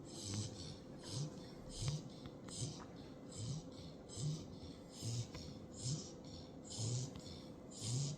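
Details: Hazel, a sleeping puppy, snores like an old man: a low rumbling inhale-exhale cycle repeated steadily, about every 0.8 seconds, with soft airy hiss on each breath and a faint room hum underneath.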